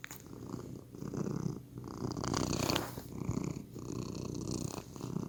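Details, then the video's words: Domestic cat purring in low, rough rumbling pulses that swell and fade with each breath, overlaid by brief broadband rustling and scratchy noises. "Healing Sounds of Cat's Purr"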